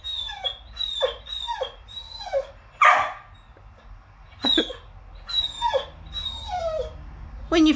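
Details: Dramatic Whippet complaining that a chew bone is stuck inside his rubber ball, producing repeated thin, falling whimpers about every half second, while his owner talks to him.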